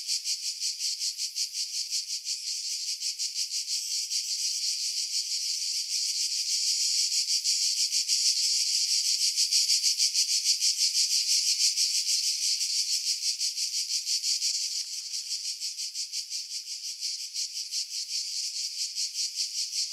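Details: Cicadas in a pine grove at Pefkos Bay, Skiros, Greece, in July 2018: an unbroken high-pitched rattling buzz with quick even pulses, growing louder toward the middle then easing slightly; wind buffeting edited out.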